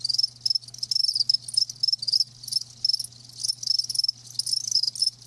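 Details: Several live crickets keep up quick, shrill chirps in clustered bursts, the high trills rising and falling in loudness, over a soft constant low electrical hum.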